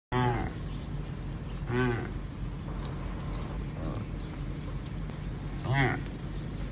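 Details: Addax, a desert antelope with spiral horns, in a herd of mostly females with one male; short low moaning calls with harmonics, at the start, near two seconds and near six seconds, over steady background noise.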